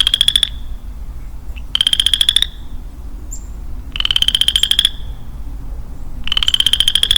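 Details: Western chorus frog, a lonely male calling in woodland in early spring: four rapid, rising, pulsed trills under a second long, repeated roughly every two seconds against faint low background noise.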